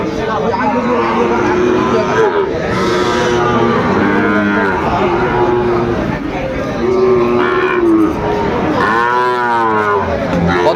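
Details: Sahiwal cattle at the Aftabganj livestock market in Dinajpur, Bangladesh, on 2 September 2025. Low steady moos recur, with a louder rising bellow near the end, all set against busy market talk.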